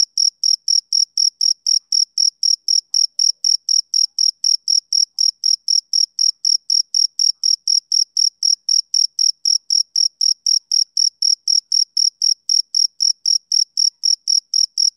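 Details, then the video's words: Rhythmic high chirps from a male cricket on a summer evening, pulsing steadily about four times per second, clear and ringing, with no other sounds present. "Cricket Chirping Sound Effect"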